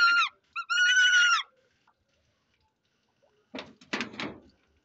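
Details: Domestic male rabbit, overexcited during his first successful mating with a female also mating for the first time, gives a brief high squeal then a longer steady tonal squeal of about a second; a person's voice follows.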